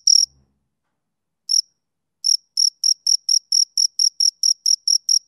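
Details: Crickets, two of them, start with a lone high chirp, pause over a second, then another, before settling into quick regular chirping about twice a second, sharp and shrill against silence.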